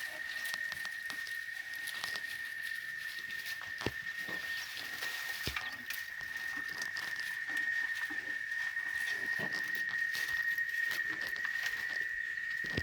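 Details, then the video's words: A sustained high cicada buzz from chicharras in Oaxaca, Mexico, runs unbroken throughout, joined by patter, clicks and scattered rustling nearby. "El Sonido De Las Chicharras"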